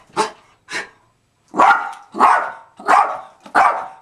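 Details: Zoey, a female pet dog, gives two lighter barks, a short pause, then four louder, harsher barks in quick succession.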